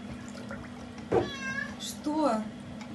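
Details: Zulu, a Maine Coon cat, greeting its owner in the bathroom indoors: two drawn-out harmonic meows, the second rising then falling, over a steady low hum, with a woman speaking around them.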